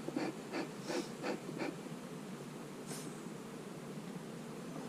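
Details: Honey bees on a hive-splitting day, queen cells in the splits; a steady, low droning hum fills the clip, broken early by a run of about five quick clicks or taps and one sharp knock near the middle.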